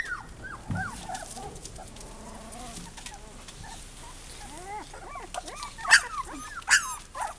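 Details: Several Texas Heeler puppies whining together in a continuous chorus of short rising and falling squeals, with two louder sharp yelps near the end over steady background noise.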